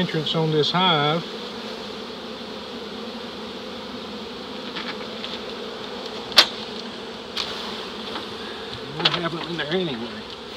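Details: Honey bee swarm of nearly 7 lbs during capture in Dale County, Alabama, early in the season: a close bee whines past at the start and again near the end, with a softer steady drone and a sharp knock between.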